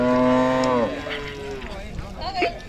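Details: Cattle being unloaded from a vehicle give a low harmonic moo lasting under a second, steady then falling, followed by men's voices, shouting and handling noise.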